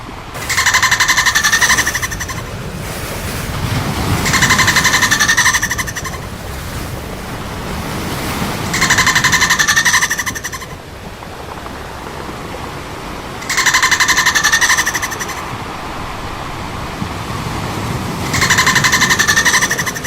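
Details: Playful dolphins giving buzzy, pulsed bursts about two seconds long, each a rapid train of clicks with a bright ringing tone, recurring every four to five seconds over a low rushing background.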